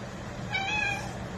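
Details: A calico cat lets out a short, softer meow of about half a second, an even tone with faint overtones rising above a low background hum.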